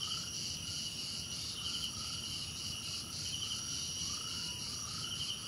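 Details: Crickets drone in a high, even chorus with pulsed trills, while softer rising calls sweep in at a lower pitch several times; light background noise underneath.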